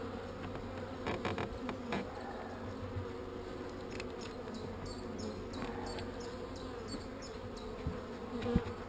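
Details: Continuous low buzzing from a colony of honey bees during a beekeeping check. Scattered clicks and scrapes of frames being moved, then a rapid run of high chirps repeating about twice a second.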